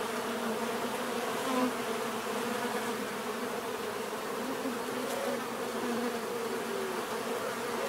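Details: Bees buzz in a steady chorus, low humming bands with single insects flitting past in short slightly higher whines, and a faint click near five seconds.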